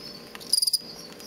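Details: Captive male fall field cricket, offspring of crickets collected from a road verge outside Lethbridge, Alberta, kept in a large plastic bin, giving aggressive song used in contests: one short chirp of about five rapid pulses, high and clean, over a faint hiss.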